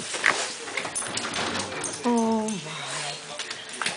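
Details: Foster dog Cisco howling happily: one drawn-out harmonic note that slides down and settles into a lower held tone, heard after stretches of indoor noise.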